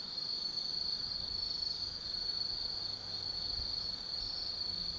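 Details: Insects of the autumn forest at Tsukimi no Mori in Kaizu, Gifu, Japan, singing at night: a constant piercing high trill with slight pulsing and a quiet low background rumble.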